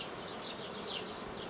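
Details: Honey bee swarm tended by a hobby beekeeper on 18 May 2018, a swarm headed by a queen from last year or older: a steady, dense buzzing hum throughout, with faint high chirps of small birds above it.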